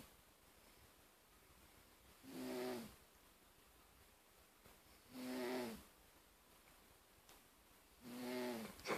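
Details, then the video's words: Male house cat Darcy asleep and snoring steadily: three husky, wheezy inhalation snores carrying a low droning tone, coming about every three seconds with quiet pauses between. "My Cat Darcy Snoring"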